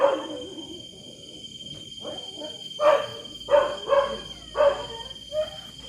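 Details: Quieter, more distant dog barks break through a hissing background: a few muffled barks early on, then five clearer harsh barks in the second half, over a persistent high thin tone.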